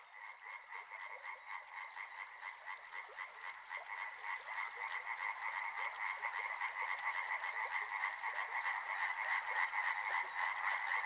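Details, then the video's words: Dense frog chorus by a river: steady pulsing croaks in two bands, one mid-pitched and one higher, rattling rapidly throughout and slowly growing louder. "Frog Sounds"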